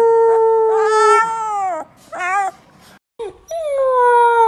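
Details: Puppy howling for the first time: long, steady tonal howls with rich harmonics, held level then sliding down at the end. Several bursts are separated by short pauses and a brief silent gap.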